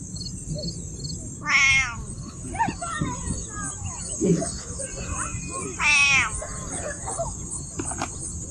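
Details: Domestic cat in Siem Reap, Cambodia, giving two loud, bright meows about four seconds apart. Each is short and slightly wavering, with a soft quieter mew between them, over a steady high hiss and faint low murmur.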